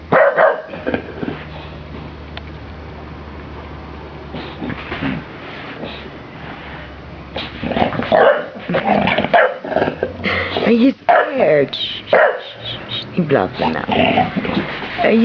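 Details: A big 25 kg bulldog playing with and facing off against a small ball-of-wool toy sheep, giving bursts of gruff barks and growly yips in clusters during the second half, while a man urges him on and asks if he is scared.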